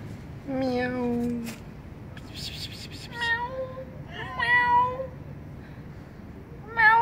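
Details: Timid kitten living on a vent hole gives a series of clear, wavering meows, some drawn out and slightly falling, others short and rising. There are gaps between calls and a brief burst of noise in the middle.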